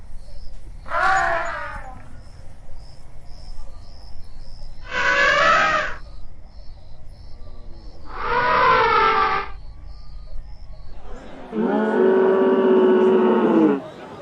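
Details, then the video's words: Elephant trumpets, four loud, brassy, harmonically rich blasts about three seconds apart; the last is longer and steadier, almost a sustained roar-like bellow. "Elephant Sounds, Elephant Real Sounds"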